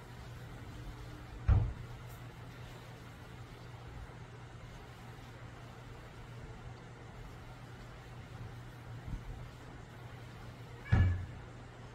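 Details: Quiet low hum fills a park entrance near a restroom, broken by two sharp knocks like a door or cupboard closing at about two and eleven seconds.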